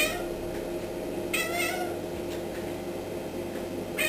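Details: Indoor cat reacting to a fly on the ceiling with one short, bright, wavering chirp-like call in the middle, then quiet apart from a soft, constant room hum and a faint click near the end.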